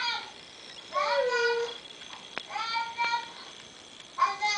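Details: Diva, a female pet dog missing her owner's grandson, howls indoors after hearing him on a computer: wavering, tonal cries sliding downward, several in a few seconds, with faint background voices.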